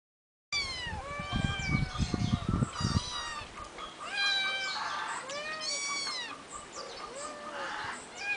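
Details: Three eight-week-old kittens living on a finca, recorded 11 May 2011, meowing in overlapping, high, harmonic cries that rise and fall, several in quick succession. A few low thumps come early on.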